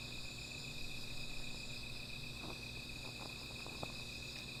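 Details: Steady shrill insect chorus at night around a small fire, the ringing unchanging throughout, with a low rumble and several sharp crackling pops from the fire.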